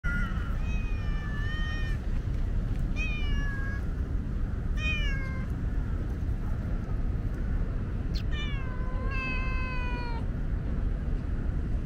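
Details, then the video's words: Talkative female tabby cat outdoors on a hot day, meowing because she is thirsty and wants a drink: five or six drawn-out, harmonic meows, some falling in pitch, spaced a few seconds apart over a steady low rumble. "Very talkative tabby is thirsty."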